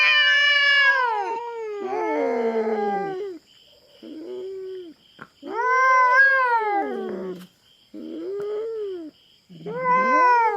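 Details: Feral cat intruding on farm cats' territory at a Philippine farm, confronting a black cat; long harmonic yowls rising and falling, three drawn-out wails separated by short pauses, with a steady faint electronic tone behind.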